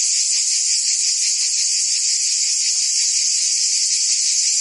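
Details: Cicadas singing in summer in Provence, France: a dense, unbroken high buzzing drone with a fine rapid pulsing, steady in loudness throughout, no other sounds.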